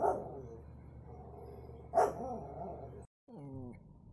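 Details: Chuck the Pomeranian makes a steady low growling grumble with one sharp bark in the middle, then a brief pause and a wavering, descending whimper to finish.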